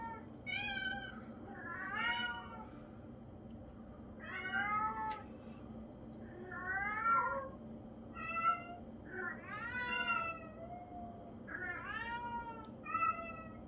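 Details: Traditional Siamese cat meowing: about eight loud, harmonic, wavering meows that bend up and down, some drawn out, coming every one to two seconds, over a steady low indoor hum.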